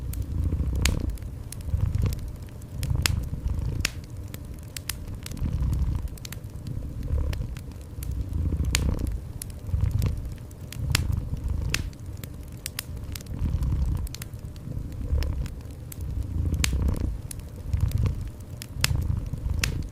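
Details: Steady low purring of a cat in a warm indoor setting, pulsing in regular breath cycles about every two seconds while a fireplace crackles and pops throughout.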